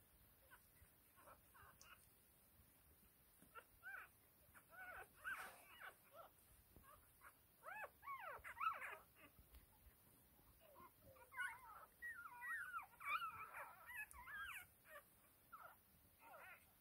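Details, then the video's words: Whippet puppies from a first litter, growing well: high wavering squeals and whimpers, several overlapping, rising and falling in bursts around the middle and later seconds, with soft rustling between calls. "Wiggly whippet baby's willows first litter"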